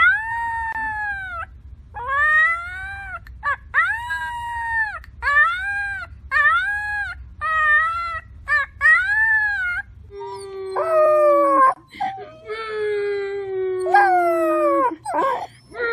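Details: Puppies crying in a rapid series of short arched whines, about seven in eight seconds, then a deeper steady drawn-out howl overlapped by higher wavering cries near the end.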